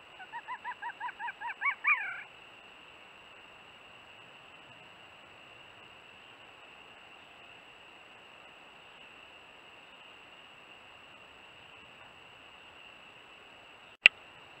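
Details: Red fox kits about one month old, near the den entrance in early evening on March 17 with the vixen nearby, give a quick run of harmonic yelps that grow louder over two seconds.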